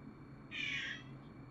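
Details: A cat gives a single short, high meow lasting about half a second, a steady harmonic tone with no clear rise or fall, heard faintly over low background hum.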